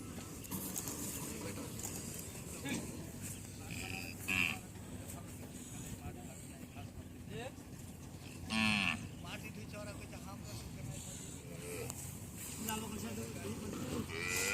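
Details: Native deshi cattle at a market on a Padma river char in the India–Bangladesh border area: a brief low moo around the middle stands out from constant crowd chatter, vehicle noise and other market sounds.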